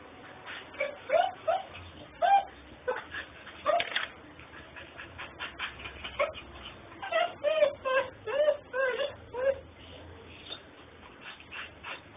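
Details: Puppy whimpering persistently in Houston, Texas, filmed on a mobile phone: many short, high, wavering whines and yips repeated about twice a second, with faint speech-like murmur beneath.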